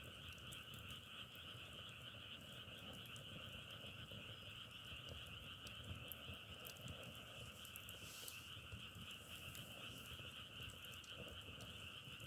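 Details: Frogs croaking in a dense unbroken chorus, two bright steady tones layered together, interrupted by scattered crackles and one brief hissing burst.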